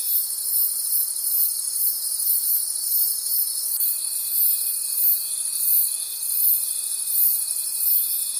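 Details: Crickets calling at night in a forest, a dense high shimmering trill pulsing about three times a second, layered over a steady lower insect drone, with one thin continuous tone starting midway.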